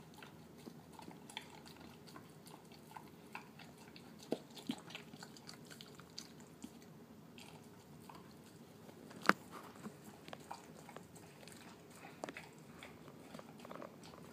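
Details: Terrier mix pet dog eating his dinner of canned food mixed with kibble indoors in a small room; soft, mushy chewing and lapping with scattered clicks and crunches, and one sharp knock near the middle.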